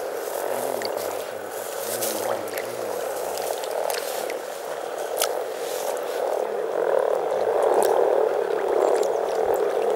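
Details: Over 300 frogs in spring at Teisko, Pirkanmaa, Finland, producing a continuous purring, croaking chorus that grows louder and denser toward the end, with low voices audible early on.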